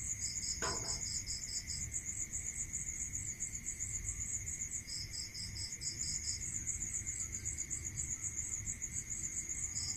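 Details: Rural night crickets, a fast high trill continuing steadily while a second cricket chirps in beaded runs; a brief soft knock early on, a constant thin tone and low rumble underneath.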